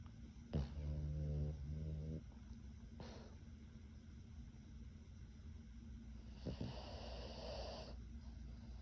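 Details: Male pug puppy, eleven months old, asleep between its owners' legs and snoring: one low, rasping, harmonic snore of about a second, then quieter breathing with soft rustling and a brief bump of movement.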